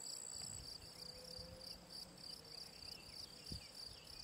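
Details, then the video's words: Gryllus campestris, the field cricket, recorded by ponds in the Draga valley, 18 June 2023. Sharp, high chirps pulse about three times per second, with a thin higher buzz from another insect early on. Faint low background hum. "Gryllus campestris POLJSKI MUREN"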